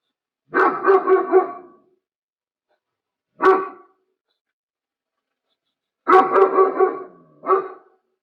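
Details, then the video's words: German Shepherd giving deep barks in bursts, a quick run of three or four, a lone bark, then another rapid run ending in one more bark, with silent gaps between. "PASTOR ALEMÃO/ SOM DE LATIDO!"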